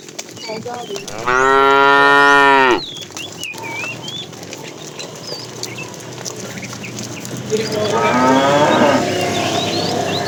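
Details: Calling the female, a fat tame cow bellows during afternoon herding: a strong, level moo lasting about one and a half seconds, later a fainter, rougher moo, with birds chirping in the background.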